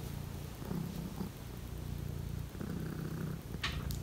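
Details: A Siberian lynx at home on a cold morning purrs in a low, evenly pulsing rumble as Misa climbs into a shelf, ending with a short rustle of movement.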